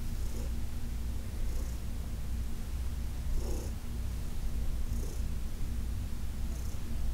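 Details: Heidi, a senior domestic cat adopted from the Humane Society of New York City, purring while being massaged on August 4, 2021: a steady deep rumble, with soft breathy bursts recurring roughly every one and a half seconds as she breathes.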